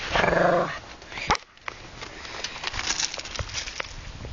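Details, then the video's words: Pet Shih Tzu Bobby playing with Paula, a family Golden Retriever, giving a short buzzy growl with clear harmonics under a second long, followed by a sharp snap and lighter rustling and tapping from the romp. "Bobby growling and sneezing"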